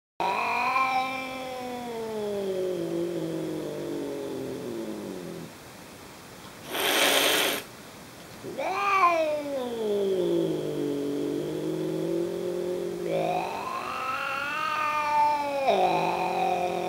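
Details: Angry Chartreux tomcat growling: long, drawn-out harmonic moaning yowls that sag and then rise again, two sustained calls split by a brief noisy burst partway through, in a quiet indoor setting.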